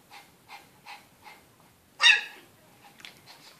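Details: Two pet dogs, a Chihuahua and a Shih Tzu, roughhousing in a crate on 8 June 2013: four soft, evenly spaced whiny yips, then one loud, harsh bark-like yelp, followed by fainter yips.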